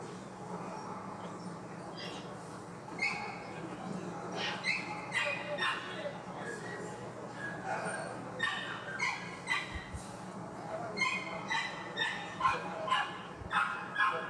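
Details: Poodle at the Anseong dog show held by a kennel federation in Korea. Sharp barks repeat in uneven bursts, growing more frequent and steady toward the end, over a constant murmur of crowd noise and voices.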